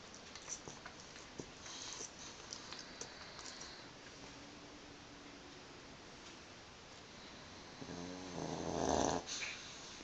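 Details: Pug snoring while asleep and twitching, a low droning snore with harmonic bands rising near the end, louder for about a second, over steady room hiss and a few soft clicks.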